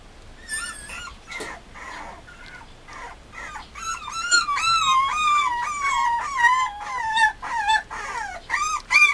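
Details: Mame Shiba Inu puppy at a breeder, giving high, wavering whimpers and yelps in quick irregular runs, each note bending up then down with bright overtones, growing louder and denser toward the end.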